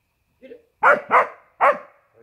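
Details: Border Collie barking while chasing in play: three loud, harsh barks in quick succession after a soft, short lead-in sound.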